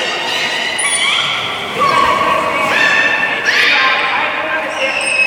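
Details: Beluga during a public training session at Port of Nagoya Public Aquarium, 24 March 2018, 16:30 show: tonal, harmonic calls with sharp upward sweeps and steady whistles, overlapping a murmuring crowd in a large echoing hall.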